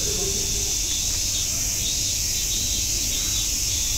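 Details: Unbroken shrill buzzing of cicadas at Nogeyama Zoo, steady and even in loudness, with only a brief faint voice at the start and otherwise little else heard.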